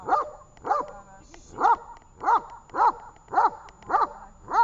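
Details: Tash the dog in training at Horlivka, 18 August 2019, giving sharp, evenly spaced barks roughly twice a second, with a faint lower murmur between some of them.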